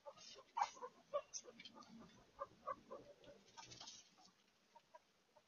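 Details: Guinea pig activity at night: brisk, clucking chuts in quick irregular bursts over a soft scratchy bedding rustle, the calls thinning out and growing quieter toward the end.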